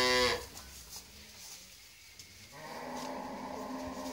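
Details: Friesian dairy cow with her heifer calf, after her second calving, kept on a farm. A loud harmonic moo is cut off at the very start, followed by faint, low, drawn-out lowing and then steady background hiss.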